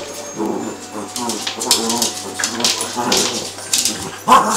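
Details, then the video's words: Harvey and Sam, two Cavalier King Charles Spaniels, play fighting indoors during a session of about an hour: throaty growls and whimpering whines in quick uneven bursts, with a sharp yip near the end and light scuffling noises. "Harvey and Sam, Cavalier King Charles Spaniels play fighitng"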